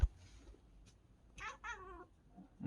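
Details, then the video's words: Bengal cat indoors reacting to a bird outside the window with a brief strange chattering call: two quick wavering, stuttered bursts lasting under a second. A person's voice and a thump are heard at the edges. "고양이가 새를 보고 이상한 소리를 내요!!"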